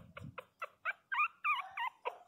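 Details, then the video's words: Loud crying from 22-day-old Pinscher puppies, a steady series of short nasal yelps roughly every quarter second that swell into longer wavering whines midway, with low rustling at the start. "Filhotes de pinscher beby cute de 22 dias chorando alto"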